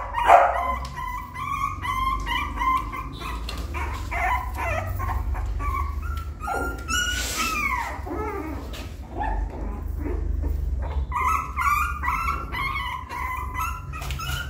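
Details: Puppy attempting to climb into the nest, with bursts of high whines and yips, some rising and falling, mixed with scuffling and rustling as it struggles over a small step.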